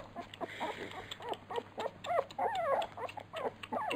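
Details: Several Labrador Retriever puppies at feeding time, a litter nicknamed piranhas, giving rapid high whimpers and yips, many short rising-and-falling squeals overlapping, with a steady low hum underneath.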